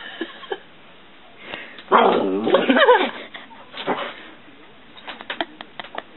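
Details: Dog named Stinky barking and growling at his own reflection in a mirror after his ball rolls toward the mirror dog; a loud harmonic bark burst near the middle, then short scattered yips and clicks.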